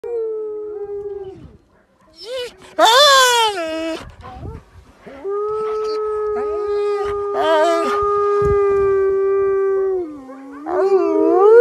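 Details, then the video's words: A wolf and a dog howling together: long, steady, level howls held for several seconds, broken by two short, wavering, higher bursts near the start and middle, ending on a rising howl. "Wolf and dog howl together"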